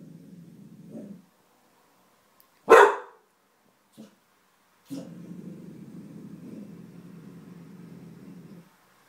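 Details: Petey the dog growling at something unseen: a low, rough rumbling growl opens, a single sharp bark cuts in, then a steady low growl runs on unbroken for nearly four seconds.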